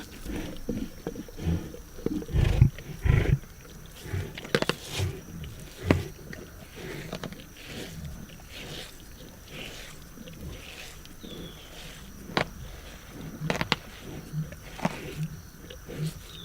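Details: Lions feed on a zebra carcass with low, grumbling growls clustered early, a strong burst near two and a half seconds, amid continual cracking, chewing and tearing clicks and a faint high hum throughout.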